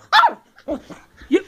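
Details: Playful ten-week-old Bedlington Terrier pup, a working-strain female from South Wales, gives one sharp, bright yap followed by two softer, lower huffing sounds during a play session indoors.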